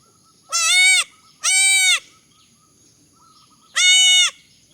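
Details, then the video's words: Young goat kids bleating in high, nasal, buzzy cries: two quick calls in succession, a pause, then a third, each about half a second, with faint short higher calls in the gaps. "funny goat sounds"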